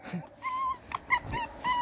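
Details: Red fox, a male kept indoors, said to be in a bad mood: a series of short, high, tonal whines with bright overtones, some steady and some rising or falling, separated by brief pauses. A person talks to the animal nearby.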